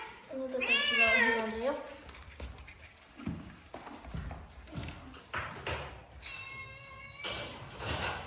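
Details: One long, wavering meow opens, from a cat at a shelter set in a closed-down school in Japan, then soft human talk and faint thin mews follow in a small indoor room.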